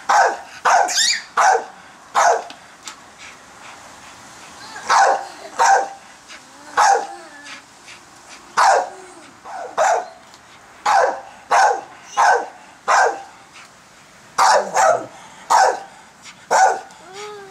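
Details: Pit bull, a female, barking at people blowing giant bubbles in a backyard; loud, sharp barks come in quick bursts of two or three, steady throughout, with faint voices in the background.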